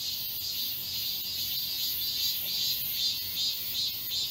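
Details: Summer cicada chorus from the forest of Galsan Park in Seoul's Yangcheon-gu: a loud, unbroken high-pitched drone rippling with soft rhythmic pulses, roughly two or three per second.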